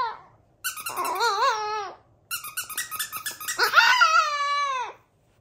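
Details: A tiny Chihuahua singing indoors in two long phrases of squeaky, wobbling, high whines and yips, rising and falling in pitch with a warbling quaver. The second phrase is louder and ends in a drawn-out falling wail.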